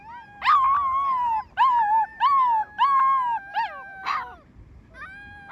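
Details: Rescued wild wolf pups howling in short overlapping bouts, several voices at once, each howl clear and tonal, rising then sliding down, about five bursts with brief pauses, ending in a faint trailing howl.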